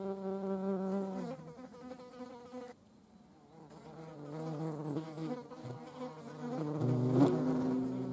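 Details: European hornet buzzing, filmed in nature in the Eifel alongside a median wasp; a steady low droning hum with stacked harmonics that dips in pitch and fades briefly midway before returning louder.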